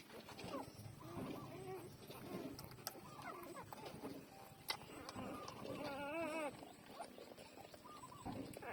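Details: Newborn puppies twelve days old while nursing: faint, thin squeaks and whimpers scattered through the clip, with one clear wavering whine near the end, over soft rustling and shuffling.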